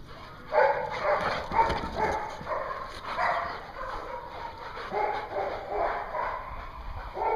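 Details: Group of dogs in a dog daycare at Hooksett, New Hampshire, 21 April 2016, yapping and barking in a steady irregular chorus of short, mid-pitched calls with high yips mixed in. Background hum is constant.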